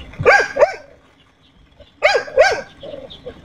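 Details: Xiao Mi, a pet dog, barking while happy with the day's weather: two quick barks, a pause of about a second, then another pair of sharp barks with softer trailing yelps.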